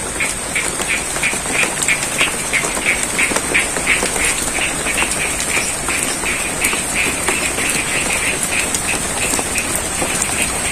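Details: Frogs croak in rapid, repeated bursts over the steady hiss of falling rain, in the middle of a rice field at Sidorejo, Cangkring, Ngadirojo, Pacitan, East Java.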